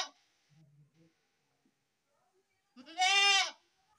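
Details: A baby goat's single loud, quavering bleat, rich in harmonics and rising then falling, comes after faint low murmurs and a short high cry at the start.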